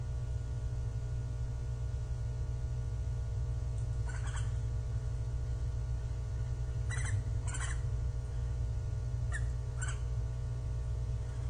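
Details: Japanese giant flying squirrel calling on 25 December 2023 between climbs and glides: brief rasping bursts, mostly in pairs about half a second apart, spaced several seconds apart against a constant deep mechanical drone.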